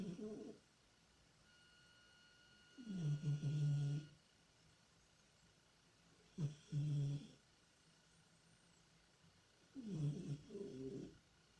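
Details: A domestic cat snoring while deeply asleep and dreaming, with low, husky breaths about a second long, each with a buzzy layered tone. Three come at roughly three to four second intervals over a quiet, steady background hum.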